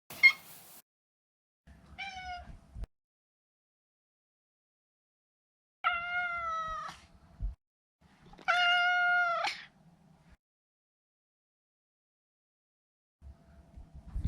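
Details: Maine Coon Maro, a neutered male pet cat born 2014, gives a series of meows: a brief chirp, a short call, then two strong, steady, tonal meows of about a second each, with soft rustling between.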